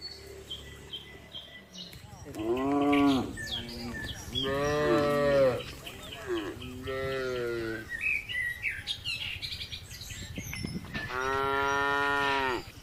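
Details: A red village cow, eating grass contentedly with a companion, gives several long, harmonic-rich moos, each held for about a second, with birds chirping behind.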